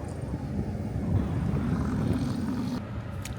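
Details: A low, steady engine rumble like a passing aircraft or vehicle, cutting off near the end, with no animal calls.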